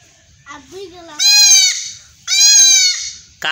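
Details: Male speech first, then a castrated goat kid in a Bangladeshi village cries out twice with loud, quavering, nasal bleats, each about three-quarters of a second. A short sharp start of another sound at the end.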